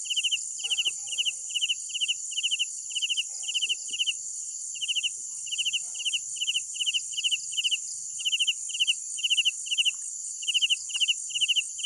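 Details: Night-time cricket chirps, each a quick burst of about four pulses, repeated steadily about every half second for the whole stretch, over a dense high insect drone and a few faint clicks.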